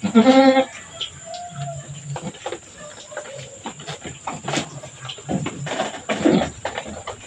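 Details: Around Mama Brown, a farm goat that has just given birth to two kids, a single short trembling bleat opens, followed by rustling, clattering and quiet background noise.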